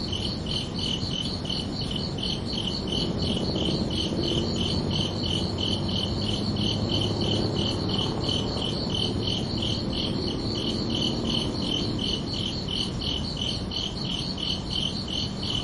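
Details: Crickets chirp steadily after dark, their high pulsed calls repeating about three times per second throughout, while a soft low rumble swells briefly in the middle.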